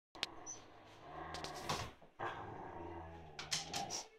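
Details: Siberian Husky named Steve indoors, trying to provoke another husky, Rocky, who lies calmly under a sofa, into playing: low rumbling grumbles and drawn-out growly talking in two long stretches, broken by a sharp yelp near the start and brief higher squeaks.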